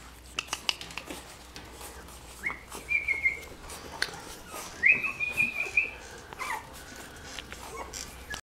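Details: Pug Jack puppies, from a Pug and Pug Jack mother, making high whistled whimpers, two longer level whines near the middle, with rustling and soft clicks around them.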